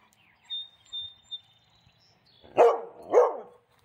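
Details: Central Asian Shepherd Dogs fence fighting: two loud, deep barks about half a second apart near the end, after a quiet stretch with a faint steady high tone and a few soft thumps.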